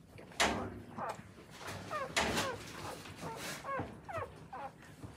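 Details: Newborn Akita puppies being raised by their mother, who nurses them and helps them eliminate; short high whimpers and squeaks rising then falling, in scattered bursts over soft rustling and shuffling.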